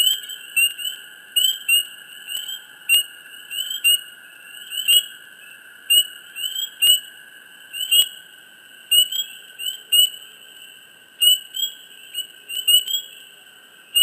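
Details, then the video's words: Frogs chirping close by in a swamp: short bright chirps in quick, irregular bursts over a steady high ringing chorus, with brief clicks between calls. "Frogs,Chirps,Close,Hush,Swamp Sound Effects"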